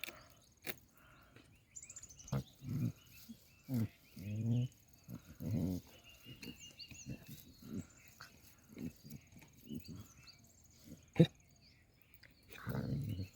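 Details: A 4½-month-old Cane Corso puppy makes low, throaty, moaning growls and groaning grunts, each under a second, in uneven bursts. A person murmurs briefly over faint outdoor background noise.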